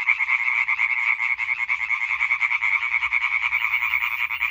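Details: European tree frogs in a dense chorus recorded 20 May 2023, a continuous rapid rattle of overlapping croaks, about two per second, steady and loud with no pauses.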